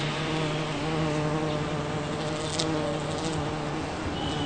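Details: Foraging bumblebee on a Champlain rose bush in a Toronto, Ontario back yard, June 5, 2010: continuous droning wingbeat hum with stacked harmonic bands, steady throughout, a brief crackle near the middle.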